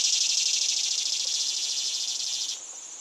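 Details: A cicada's loud rasping buzz with quick, even pulses, strong at first and slowly fading, then dropping away sharply after about two and a half seconds to a quieter hiss.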